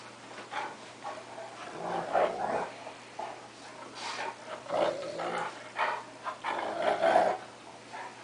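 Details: A cocker spaniel and a big 3/4 wolf, 1/4 Akita dog wrestle in play, sounding fierce but not meaning it; repeated snarling growls roughly every second, rising in loudness toward the end over a faint background hum.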